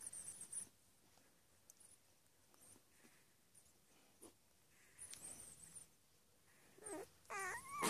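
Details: Ten-day-old Labrador Retriever puppies in Uruguay, eyes about to open, nursing and sleeping; short rising-falling whines and squeaks near the end, with brief soft rustles and quiet pauses between.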